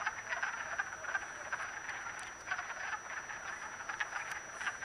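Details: Chorus of wood frogs mating in a vernal pool at Acton, Massachusetts, on March 18, 2010: many overlapping short clucking croaks, rapid and irregular, blending into a steady rattling din with no pauses.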